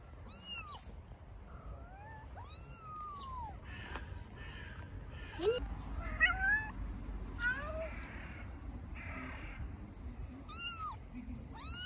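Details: Homeless baby kittens on an Istanbul street call for their mother cat with a rapid series of thin, rising-and-falling meows, some short and sharp, others drawn out and plaintive. A faint hum of street noise sits underneath.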